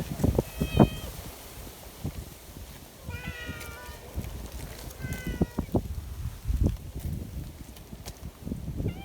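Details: Affectionate outdoor community cats on a mountain, fed just after a typhoon, mewing in short bright meows, one early, a pair near the middle and one at the end, amid thumps, rustling and gusty low noise.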